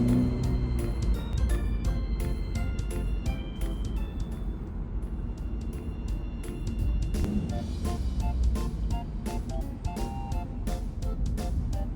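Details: Upbeat background music with bright melodic notes and steady beat plays throughout, with no animal sound.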